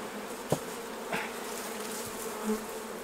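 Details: Honey bees droning around the hive during the honey harvest, a constant buzz with occasional sharp taps and knocks of hive tools cutting through.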